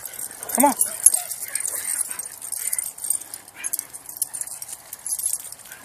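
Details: A Cairn Terrier, one of four being walked on leashes together, gives a single sharp, yelping bark, followed by a person talking.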